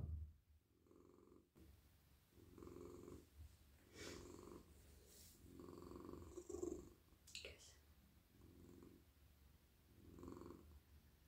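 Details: Super friendly, warm, soft cat purring during petting, a steady low rumble pulsing about every two seconds with each breath, overlaid by occasional rustling and brushing strokes.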